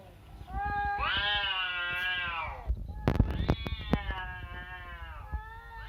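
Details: Domestic cat, played a meowing sound while it had been sleeping, answering with two long drawn-out meows rising then holding steady, rich in harmonics, separated by a burst of clicks and knocks, with faint room noise throughout.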